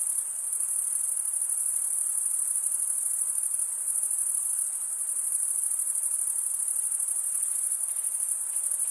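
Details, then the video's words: Steady stridulation from many crickets: a thin, high, shimmering trill that never pauses, its pulses blurred into one continuous ring, holding an even volume with only light background hiss. "cricket sound"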